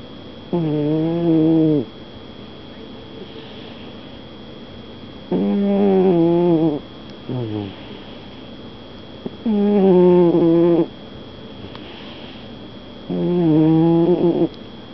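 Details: Mavrick, a snoring cat, breathing in his sleep with harmonic, buzzy snores about one to one and a half seconds long, repeated roughly every four seconds, with quiet pauses between them and a steady faint hum underneath.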